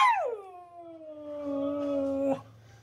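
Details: Siberian husky howling: a long sustained howl that drops sharply at the start, then holds a steady, gently wavering tone for about two seconds before breaking off, with faint low background hum.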